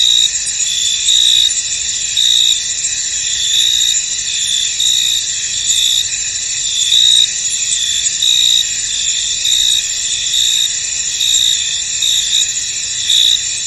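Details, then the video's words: Chorus of crickets in a fog-covered field, a continuous high-pitched buzzing trill layered with short, brighter chirp bursts recurring irregularly, about once a second, over several seconds. "Tranquil Cricket Sounds In An Misty Field"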